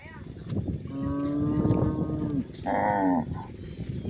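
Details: Village cows at pasture, a long steady low moo over a rumbling background, followed by a shorter, higher, brighter moo, with faint rustling noise.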